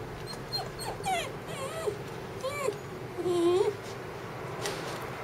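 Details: Female red Shiba Inu, born 5 September 2014, giving a series of thin, high, wavering whines and short yips, some rising then falling, spaced irregularly over a few seconds amid quiet indoor background and faint voices.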